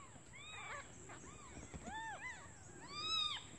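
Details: Newly born kittens crying for their absent mother out of hunger while she is away hunting for food. Several overlapping high, arching mews from more than one kitten, a louder rising-falling cry near the end, with a constant high-pitched tone in the background.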